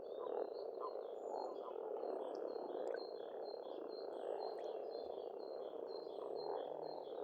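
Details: Frogs croaking in spring at a pond in Estonia, a thick pulsing chorus, while a bird repeats short high whistled notes roughly twice a second across the background.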